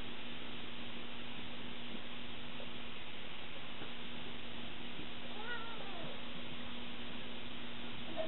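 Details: Scirocco, a 20-week-old Savannah cat, gives a pair of short, faint, wavering meows late in the recording, set against a steady low electrical hum and quiet room noise.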